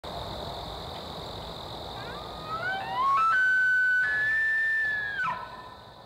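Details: A bull elk bugles during the rut at sunset, a rising note climbing into a long, high, pure whistle before breaking off.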